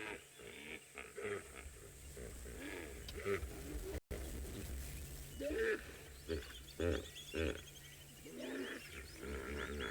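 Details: Hippopotamuses (Hippopotamus amphibius) on an African safari call in answer to one another, a chorus of deep, rhythmic grunting honks that rise and fall in bursts.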